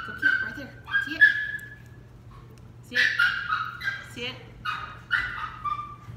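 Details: Dixie, a female West Highland White Terrier puppy, during a training session: high, thin whining tones that hold steady and slide slightly, in short bursts, while a woman gives quiet commands and praise.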